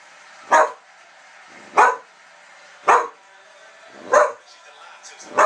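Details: Whippet barking in sharp single barks, five in a row spaced a little over a second apart, each short and loud with a quiet gap between.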